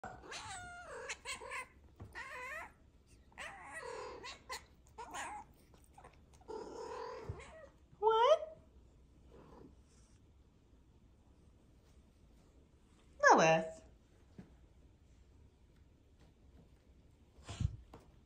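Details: Pet cat in a long vocal exchange, a series of drawn-out, harmonic meows and chirping trills with varied rising and falling pitch, separated by short quiet gaps; a couple of sharper loud calls near the end.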